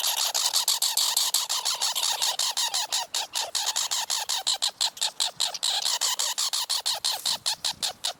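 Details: Squirrel chattering in a long run of sharp, harsh, broadband chucks, about five per second, steady and unbroken for eight seconds, with little else audible.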